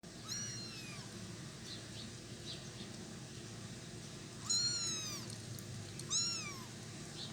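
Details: Kittens making funny sounds while eating cat food, crowding the food area so their mother cannot eat easily; high, arching meows at the start, then two louder ones near 4.5 and 6 seconds, over a steady background hum.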